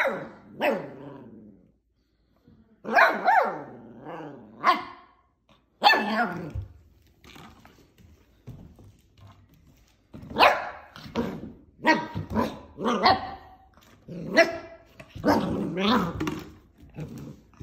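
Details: Playful PWD pup tackling plastic bottles lets out rapid clusters of sharp barks mixed with low growly yips, with brief silent gaps and a dense run of barking toward the end.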